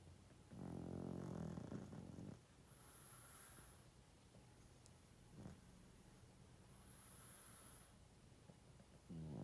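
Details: Loud snores from a 12.5-year-old male pug while asleep: a long, harsh, rattling inhale of nearly two seconds, then a soft hissing breath, a quiet pause and another rough snore starting.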